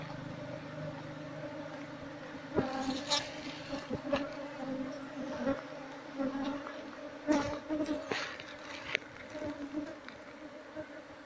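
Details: Wild Asian honey bees (Apis cerana) swarm around their hive as it is harvested; the bees are described as fierce and prone to stinging when the nest is disturbed. A steady, low droning hum with an overtone persists throughout, broken by sharp knocks and crackles from handling.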